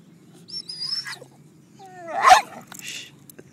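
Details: Dog making funny, crazy noises as a boat drives past: high thin wavering whines, then a sliding squeal swelling into a loud harsh yelp, with people laughing and asking what that is, plus low background rumble.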